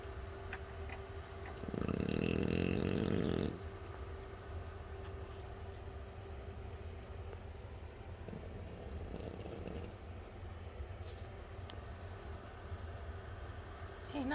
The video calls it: Nacho the French bulldog snoring 😴